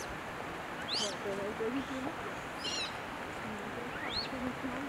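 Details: Several Japanese macaques moving together as a group at Jigokudani, Japan, trade short, smooth, low-pitched tonal coos, some level and some gently falling, spaced a second or two apart; thin high bird chirps cut in over a steady outdoor hiss.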